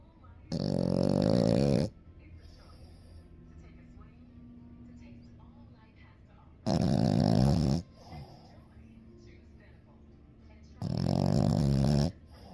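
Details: A 7-month-old French Bulldog puppy snores heavily in harsh, rattling rasps just over a second long, repeating about every four to five seconds with a quiet room murmur between them.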